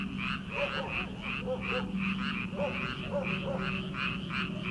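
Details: Night chorus of paddy frogs in early summer before rice transplanting, many callers overlapping in fast rhythmic croaking pulses, with occasional deeper double croaks and a constant low drone beneath.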